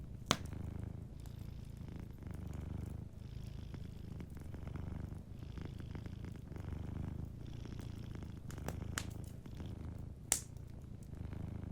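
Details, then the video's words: Cat sleeping by a warm fireplace, purring in slow waves of low rumbling that rise and ease with each breath, while occasional loud pops and soft crackling come from the fire. "Warm Fireplace Ambience with a Sleeping Cat 🐱💤Fireplace & Soft Purring"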